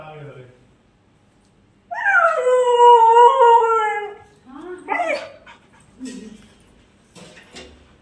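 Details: Female Siberian Husky reacting after being apart from its owners: one long, wavering howl of about two seconds, slightly falling, followed by short rising yelps and whines, with faint human voices in the background.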